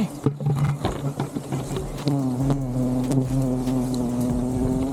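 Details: Honey bee colony disturbed during a honey harvest, loud continuous drone that steadies into a sustained buzz partway through, with knocks and handling noises.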